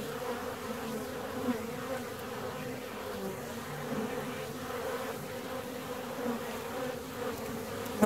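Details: Steady buzzing drone of a honey bee colony in its hive 17 days after a split, low and evenly sustained, with a few soft knocks and a sharp tap at the end.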